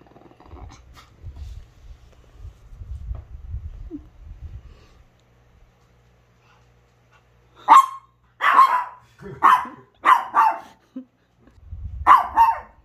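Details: Chihuahua in a multi-dog household with Onii-chan and Wolf: low rumbling and shuffling sounds, then after about seven seconds a run of six sharp yapping barks at uneven intervals.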